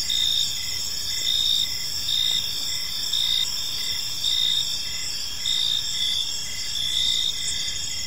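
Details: Crickets chirping on an evening in a peaceful park: a dense, high, shimmering trill pulsing in short bursts roughly once a second, layered over a steady insect hiss, with a faint low rumble underneath.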